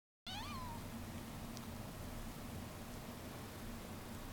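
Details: Domestic cat hiding inside a bag, giving one short rising-then-falling meow near the start, followed by steady low hum and quiet room noise.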